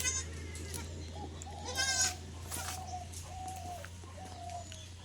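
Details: Newborn female Sirohi kid, born overnight at a Ranaghat, West Bengal goat farm, gives a short nasal bleat near the two-second mark. Thin drawn-out squeaky calls from it recur through the rest, over a constant low electrical hum.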